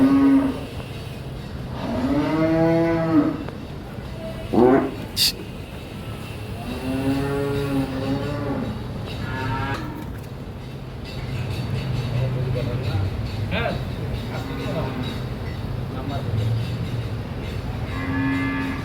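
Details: Recently bought cattle mooing twice: long, low, droning moos with a slight rise and fall, separated by several seconds, while people talk nearby and a short sharp knock sounds in between.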